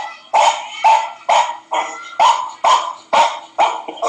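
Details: A dog listening to another dog's barking barks steadily, sharp mid-pitched woofs repeated about twice a second.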